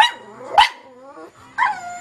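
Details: Small black female pug, indoors watching animal programmes on television, yawning and barking at once: a sharp bark, then a drawn-out whining yawn sliding downward, followed by a second short bark.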